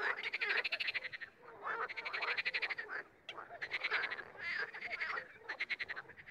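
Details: A chorus of frogs, sometimes joined, sometimes solo: dense runs of quick ratcheting croak pulses in bursts of about a second, with one short near-silent break midway.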